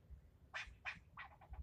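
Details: Agitated squirrel yelling at someone filming, part of nearly ten minutes of scolding: two loud, harsh, squawk-like barks followed by three quicker, fading notes.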